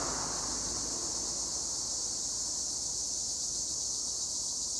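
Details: High, constant trilling wall of sound from tree crickets (Acheta assimilis) among olive trees in Güre, Edremit, Turkey, steady in loudness throughout with no pauses.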